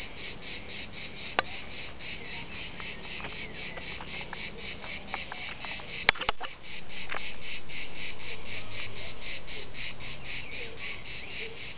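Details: Cicadas at dusk in Liguria sing a steady, high, rasping buzz pulsing about four times a second.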